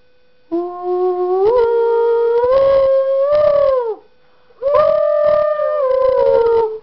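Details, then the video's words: Miniature Schnauzer Lexi, a female, howls in response to a tune. Two long drawn-out bouts with a rich harmonic tone that rises gently, holds steady, then sags at the end, separated by a brief pause, with some broadband clatter underneath. "Schnauzer Dog Sings"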